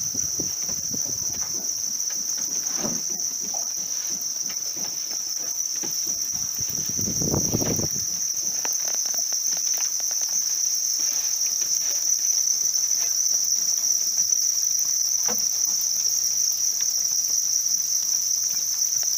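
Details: Farm-raised house crickets calling together, a steady, unbroken high-pitched trill with no pauses, over scattered soft rustling and tapping and a brief low rumble of handling noise near the middle.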